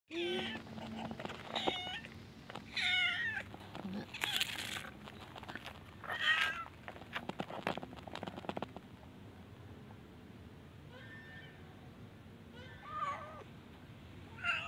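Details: Cats and kittens living at a pagoda, meowing for food while afraid of the person feeding them: several short wavering meows from more than one cat over clatter and handling noises, then quieter faint mews later.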